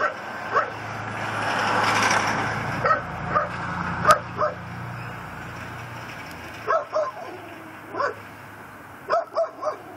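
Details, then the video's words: Pit bull tied up on a front porch in Chalmette, Louisiana, barking at night around 10:30pm on December 18, 2012; scattered short barks in uneven bursts over a steady background hum, with a passing vehicle rumble early on. "Neighbor's Nuisance Barking Dog"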